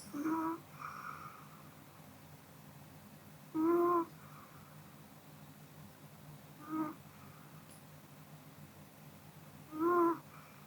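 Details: Sleeping after dinner, the Pomeranian Kodama lets out four short, tonal, humming snores spaced about three seconds apart in a quiet indoor room, each followed by a fainter breath.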